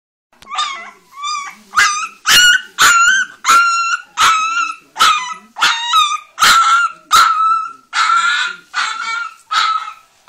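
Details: Leonberger puppy, an orange female, barking in a fast series of high, clear, ringing yaps, about fourteen sharp barks over ten seconds, each with a slight rise then fall, spaced roughly evenly with short pauses between them.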